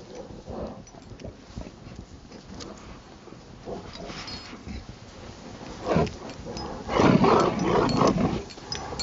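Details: During a snowy Saturday afternoon in Maryland, December 19, 2009, a playful Rottweiler starts with quiet huffing and rustling, then breaks into a loud, drawn-out rasping growl after seven seconds.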